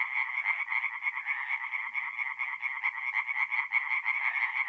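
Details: Mid-April night at a forest pond in north-east Italy, where tree frogs sing in a chorus of rapid, rhythmic croaks swelling and dipping in quick bursts, the background otherwise quiet.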